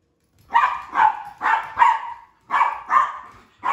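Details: During play among three household dogs, a female Sheprador barks loudly: four quick barks roughly half a second apart, a short gap, then two more and the start of another.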